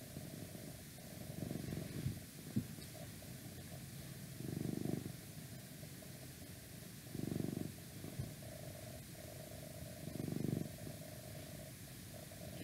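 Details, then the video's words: Pet cat purring in an ASMR recording made indoors with some outside noise: soft low purr rising into four louder rumbling pulses spaced roughly three seconds apart, with a steady faint hum underneath. "Cat Purring"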